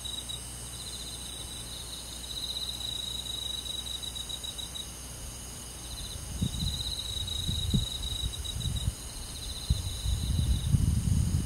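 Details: Crickets and other insects trilling through a summer night in the forest: high, rapid pulsed chirping in long bursts over a steady shrill drone, joined in the second half by irregular low thumps and rumbles.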